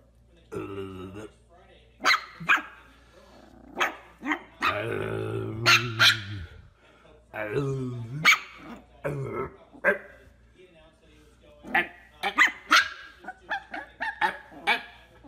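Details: Puppy or small dog giving sharp, short barks in scattered bursts, some spaced about two seconds apart, mixed with a person talking in a low voice between them.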